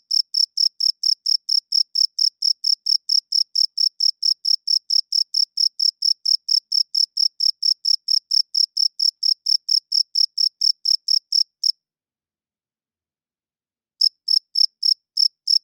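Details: Male cricket chirping at night, wing-rubbed calls that attract females and mark territory; a fast, regular run of sharp high chirps stops for about two seconds near the end, then resumes.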